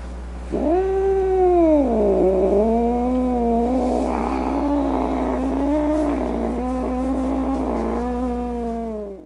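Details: Angry domestic cat's sustained wavering yowl lasting about eight seconds, pitch swooping down, back up and warbling unevenly with rough, snarling patches, over a low constant background hum.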